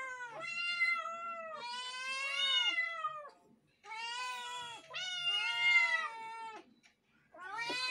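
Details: Kittens meow loudly and repeatedly, long high clear cries that bend upward then fall, several overlapping voices in bursts separated by short silences, indoors.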